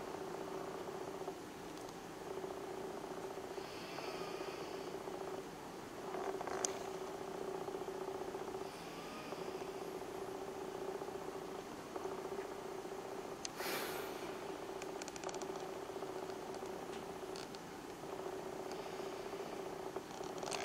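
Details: Domestic cat purring while sleeping together with a companion in winter; a steady low rumbling hum runs unbroken through the whole stretch, with a few soft rustles and one brief louder shuffle near the end.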